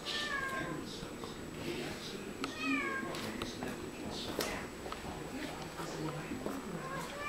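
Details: Two Siamese cats talk to each other in a string of bent, nasal meows. The meows are clearest near the start and middle, over constant low background rumble and voices.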